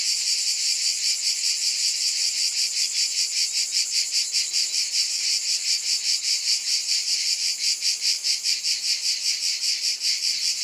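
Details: Massed cicadas keep up a loud high-pitched drone, its texture broken into quick regular pulses that grow more distinct toward the end.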